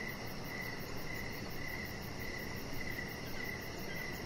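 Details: Crickets heard outside on a deck in the evening, their thin high chirps fainter here and spaced irregularly, partly blended into a continuous low hum and hiss.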